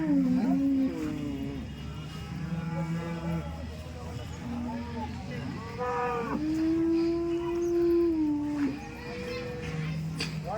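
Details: Dairy cows at the Loni cow market lowing repeatedly, several long moos, the loudest a sustained steady bellow near the end, over market voices and a low hum of people and livestock.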